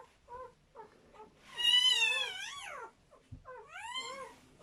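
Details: A German Shepherd whelping seven puppies: short soft whimpers, then a loud, drawn-out, wavering cry falling in pitch over about a second, a brief pause, and a second rising, bending cry.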